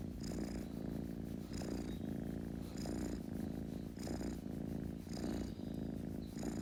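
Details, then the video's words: A kitten's rhythmic purr: an unbroken low buzzing drone pulsing with its breathing about every 1.3 seconds, each inhalation adding a light wheezy hiss. "Kitten Purring Sound Effect"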